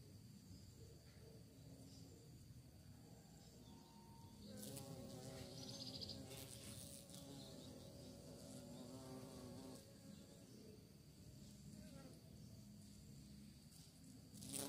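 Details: Bee searching for prey: a droning, harmonic buzz swells in the middle, rising and falling as it passes close, then fades back into a steady low background hum.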